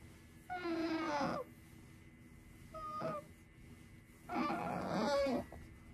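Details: Sakura, a female pet otter, cries repeatedly indoors while settling down for a nap: three bursts of high, harmonic squealing calls, the first and last longer and rougher, a short thin one between, in a quiet small room.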